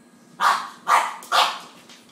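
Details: Pekingese and English Bulldog play fighting indoors, young Lebron at 10 weeks nearly as big as Cash; three sharp, loud barks about half a second apart over a low steady room hum.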